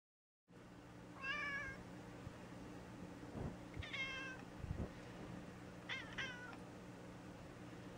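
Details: Gray tabby cat recovering after polyp-removal surgery, indoors: three short, thin, harmonic meows spaced about two seconds apart over a steady low mechanical hum.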